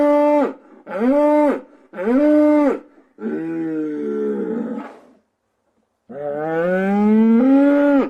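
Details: Cows crying out with loud, drawn-out moos: three short harmonic bellows in quick succession, then a longer wavering moo, a brief silence, and a final rising, sustained bellow. No other sounds stand out.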